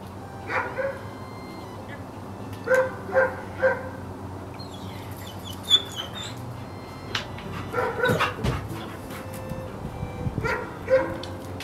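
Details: Sable German Shepherd bitch giving clusters of short, ringing barks, often two or three in quick succession, broken by a passage of high thin whining squeaks midway. Irregular pauses separate the bursts, with faint background noise throughout.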